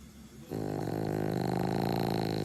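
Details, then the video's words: Asleep with half-open eyes, a French Bulldog snores heavily; after a quiet half second a steady, rough, vibrating snore sets in and continues to the end, a low fluttering rattle. "爆睡。。。ZZZ - snoring Frenchie -"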